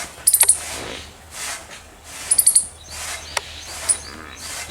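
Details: Squirrel chirping loudly: two quick bursts of four very high, sharp, clicky notes, then a single isolated high chip, over faint background hiss and soft rustling.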